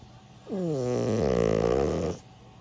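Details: Milk, a 16-year-old senior pet dog, asleep and snoring: one drawn-out rasping snore lasting about a second and a half, with dense stacked harmonics sliding downward, in a quiet indoor room.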